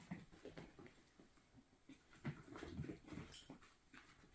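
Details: Miniature Schnauzer puppies, nearly five weeks old, playing and darting around indoors; short low grunts and a few soft whimpers mixed with scuffling and pattering paws in a small room.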